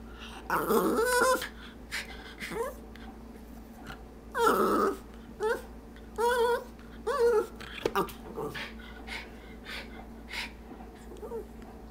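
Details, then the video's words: Stormy, a pet dog indoors eyeing the treat jar, makes drawn-out, talk-like vocal bursts with wavering harmonic moans and grumbles, several separate utterances spaced over the stretch, each rising and falling like attempted speech. "Our dog tries to talk"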